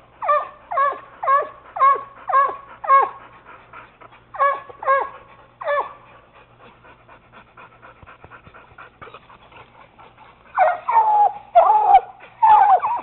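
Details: Treeing Walker Coonhound pup barking at a raccoon held in a cage, a Bluetick Coonhound also taking part. A steady run of choppy barks about twice a second fades into a lull, then louder, wavering bawls return near the end.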